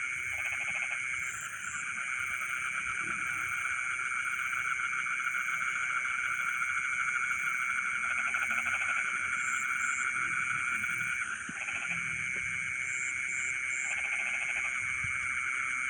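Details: Frogs singing in rice fields at night, short grating pulsed croaks in scattered bursts, with a steady high insect whine throughout and faint repeated high chirps overhead.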